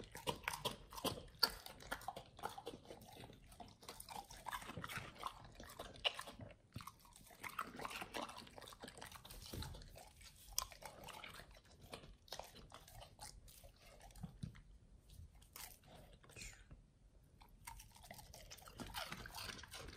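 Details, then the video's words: Pit Bulls eating raw beef trimmed chunks, quail eggs and duck wings indoors; continuous wet crunching and biting, irregular bursts of gnawing with brief quiet gaps. "Dogs eat RAW Beef Trimmed Chunk, Quail egg, Duck wing combo [ASMR]"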